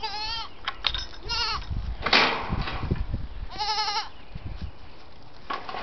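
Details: Young Saanen/Alpine cross goats, white does six weeks old, bleating repeatedly: four quavering, nasal, harmonic-rich cries about a second apart, some overlapping, with rustling and thumps in between.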